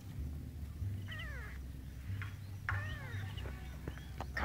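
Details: Newly born kittens searching for their mother make a few short, high, falling mews in separate bursts, with a low background hum and handling noises near the end.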